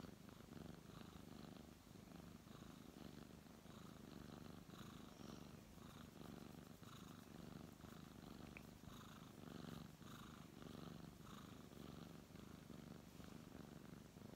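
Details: Purring brown tabby cat being petted and fluffed by a man; continuous deep rumble rising and falling with each breath, rustling of hand strokes throughout, a faint brief click near the middle.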